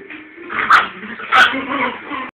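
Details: Small dogs (a Chihuahua, a Yorkie and a Chorkie) in a playful chase, giving two sharp high yips about half a second apart, with whining and whimpering running between them.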